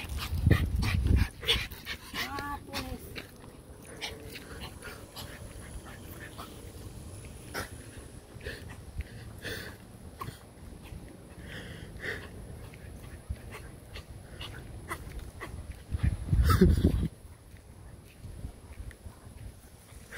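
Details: Dog barking, with a cluster of loud, harsh barks at the start and another short burst near the end; people talk in between, and scattered clicks and a steady high hiss run throughout.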